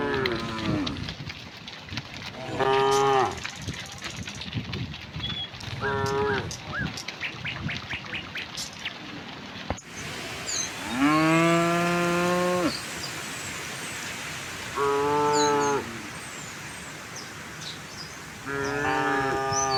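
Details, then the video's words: Herd of tame cows strolling toward a vast field on a gentle morning: six moos, short and then longer, the loudest after ten seconds; constant clicking and rustling underneath, with faint high bird notes. "the sound of cows"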